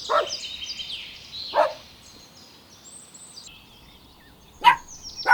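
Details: Puppies running and playing together on a grassy meadow, barking: four short, sharp barks at irregular intervals, two close together near the start and two near the end, while whistled bird song runs steadily in the background.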